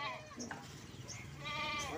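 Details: Goat kept in a collector's pen of unusual goats gives a short nasal bleat near the end. Bird chirps and a murmur of voices run through the background.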